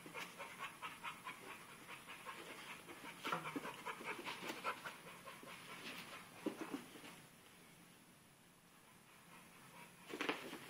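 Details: Pitbull puppy named Dixie playing with a sock indoors: rapid soft breathy panting puffs in quick bursts, with a few louder thumps and brief short speech before it.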